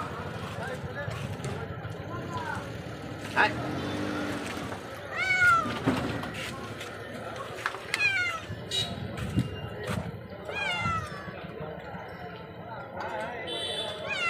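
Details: Cat brought from Kaltipuri village with a wound near its neck, in pain and being tended for several days; several drawn-out, bending meows rise and fall between stretches of human speech, with outdoor background noise.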